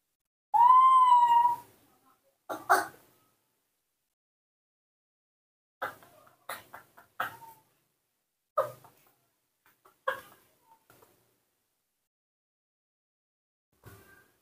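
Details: Hand-reared newborn monkey Nomi calls for its mother with a single clear, high, whistle-like cry lasting about a second that bends up and down, then several short dry taps and rustles.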